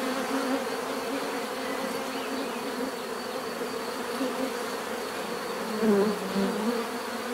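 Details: Continuous buzzing of a crowd of bees, low and even, then one bee swoops in close near the sixth second with a rising, wavering hum before fading back into the swarm.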